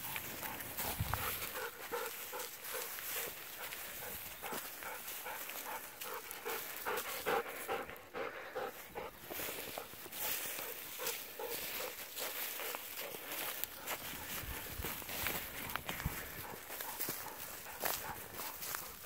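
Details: Pet Golden Retriever panting hard after running about, cooling off in an irrigation ditch and rolling on the ground, recorded outdoors on 7 November; quick rhythmic huffing breaths, about two and a half per second, with rustling in the background.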